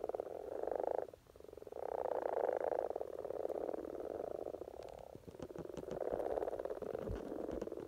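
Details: Spring chorus of common frogs at the peak of courtship in Norway: massed low purring croaks in overlapping bursts, with short lulls between swells and a few faint clicks.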